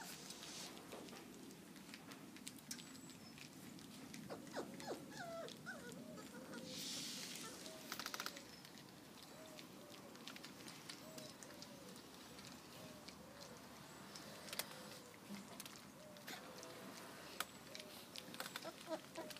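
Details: Four-week-old field-trial Labrador Retriever puppies taking their first steps in a garden and eating porridge: faint, short, high squeaks and whimpers repeated irregularly, with rustling and pattering underneath.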